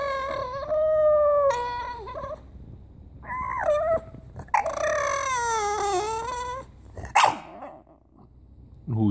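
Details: Bulldog 'talking' with long, tonal whines and moaning howls, wavering and sliding up and down, in about five drawn-out phrases separated by brief pauses and a few sharp yips.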